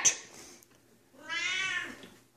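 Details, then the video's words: Female Siamese cat pleading for attention as her owner tries to unpack after a business trip: a single long, strained, slightly falling meow following a short click, in a quiet room. "Siamese cat demands love from Dad"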